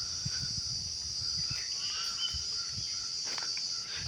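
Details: Crickets calling at night around a resort in Bandhavgarh forest, Madhya Pradesh, India; a continuous high, shrill trill fills the background, with faint low thumps and scattered other sounds.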